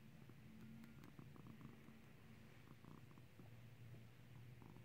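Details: Low, continuous purring from Skittles, a clicker-trained cat learning to ring a bell. The rumble stays deep and even throughout, with scattered faint ticks and rustles above it.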